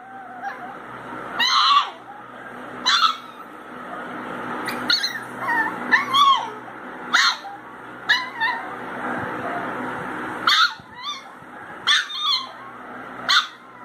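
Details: Crying baby Pinscher dog gives repeated thin, wavering whines and sharp yips, roughly one every second, some bending up and down in pitch, with a constant hum underneath.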